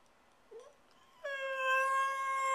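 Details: Pet dog Stewart, left alone, begins a faint short whimper, then breaks into a steady sustained howl for the final second.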